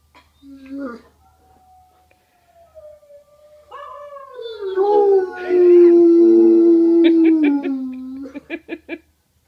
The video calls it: Baxter the Great Dane howling